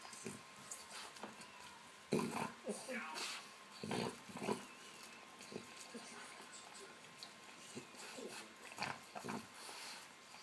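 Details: A French Bulldog, excited at being given a tennis ball for the Roland-Garros men's final, gives short, gruff barks and snorting grunts, with people talking nearby.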